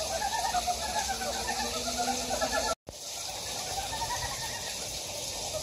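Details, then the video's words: Frog chorus in a mountain valley at Gyejoksan, Daedeok-gu, Daejeon, South Korea: overlapping trilled croaks repeat steadily over loud stream noise, broken by a sudden brief silent gap midway before the calling resumes. "대전 대덕구 계족산 계곡에 자연의 개구리 울음소리"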